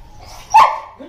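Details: During training, a Boxer dog gives one sharp, loud bark on the 'speak' command and is then praised by the trainer, who rewards each sound with a treat.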